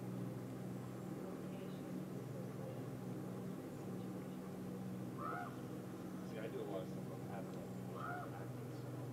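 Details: Northern Resident orcas recorded underwater at the rubbing beach in Blackney Pass, Johnstone Strait, British Columbia, on a July morning: short rising-falling whistled calls, a few repeated, over steady low engine-like hum and water noise.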